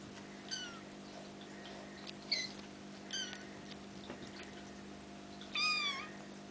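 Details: Bengal kittens almost five weeks old, playing together, give several short high mews with rising and falling pitch, spaced over a few seconds, the last one louder and longer, against a steady low indoor hum.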